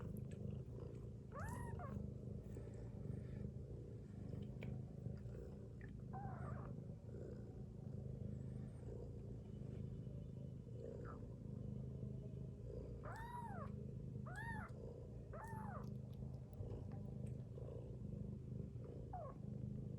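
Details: Sleeping mother cat lying with her kittens gives a continuous deep, throbbing snore. Several short, arched, high mews break in, mostly in the second half.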